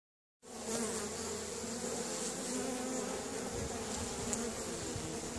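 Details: Honey bees active at an apiary on a sunny April 25th, 2015, out in force and entering the hive: a dense, steady, low humming buzz of many bees that starts abruptly after a short silence and continues throughout.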